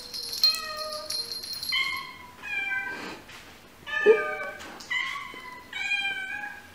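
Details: Domestic cats and kittens meowing in a compilation: several overlapping meows of differing pitch, some high and thin, others lower and longer, following one another in quick succession over a faint low hum.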